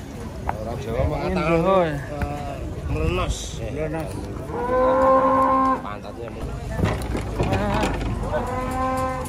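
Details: Agitated cattle coming down from a truck give long, steady, droning moos, one held about a second near mid-clip and another at the end, after shorter wavering calls, with human voices and low engine rumble underneath.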